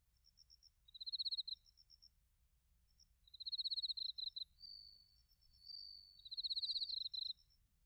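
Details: Bell crickets and crickets in autumn at Narita, Chiba Prefecture, Japan, captured on a TASCAM Portacapture X8. Three high, rapidly pulsed chirp bursts alternate with a steadier ringing trill between them, against near silence.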